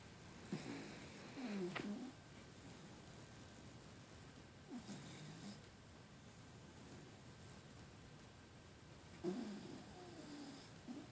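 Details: Puggle Jewles, a female dog, snoring quietly while asleep; three soft, raspy breaths with low buzzy harmonics arrive near the start, middle and end, separated by long hushed stretches of room quiet.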